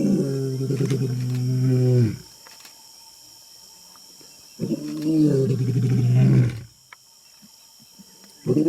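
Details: Big lion close by producing two long, deep, groaning roars with strong low harmonics, each about two seconds, with a quiet gap between them.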